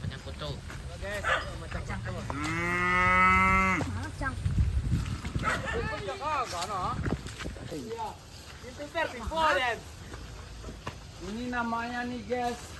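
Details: Racing cattle in their pen; one loud, drawn-out moo of about a second and a half, rich in harmonics, rises above background music and men chatting, with shorter vocal sounds later.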